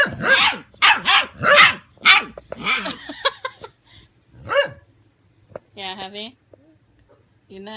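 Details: Six-week-old puppies against a 17-year-old grandma dog; a rapid run of sharp barks at the start, then sparser yips, a tonal whine-like cry and a woman's speech near the end.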